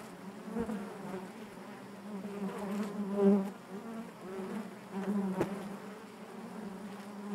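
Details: Many honey bees inside the hive produce a thick, low, even drone that rises into a louder swell, then eases. A single sharp tap sounds near the end.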